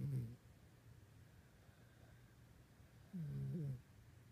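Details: A pet dog snoring while asleep indoors at night, two low rasping snore breaths, one at the very start and one about three seconds later, separated by quiet.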